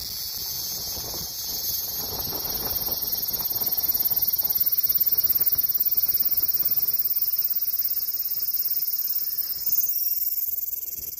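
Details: Cicada droning in a continuous shrill whine that swells slightly toward the middle, with a fast underlying pulse and a small shift in tone near the end.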